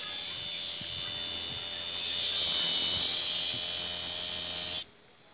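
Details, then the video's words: Cicadas in an aroeira tree sing a dense, steady, high-pitched buzzing drone that holds level and unbroken for nearly five seconds, then cuts off abruptly into near silence. "Cigarras na aroeira"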